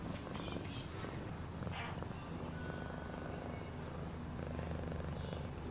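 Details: Domestic cat purring, a low, dense, motor-like rumble held without a break, with occasional faint whistled notes far in the background.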